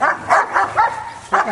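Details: Kuvasz at a Hungarian breed show and working trial including an attack test; short, loud barks, three close together and then one more after a brief pause, with faint voices behind.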